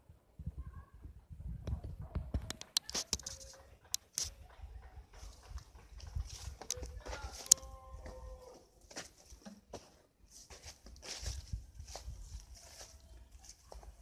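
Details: Goats crying at a village farm project: one drawn-out, wavering bleat midway, with a briefer cry near the start, over shuffling, knocking and rustling sounds and faint voices.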